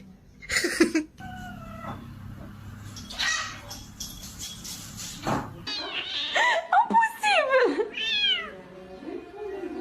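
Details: Domestic cat meowing: a short harmonic cry near the start, then a run of drawn-out, rising-and-falling meows in the last four seconds, with quiet background noise between calls.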